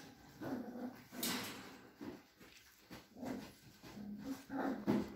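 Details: Cavalier King Charles Spaniel, a companion breed kept by a breeder in a small village in the Sierra de Madrid, Spain, giving short low whimpering and growly sounds in bursts, with rustling and handling noise indoors.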